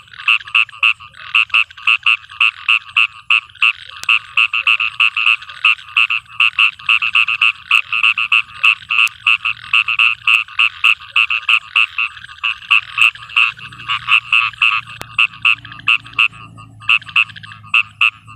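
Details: At night in a field in rain, a frog keeps up a dense, steady stream of quick nasal croaks, several each second; near the end a low rushing patter, likely rain, grows louder.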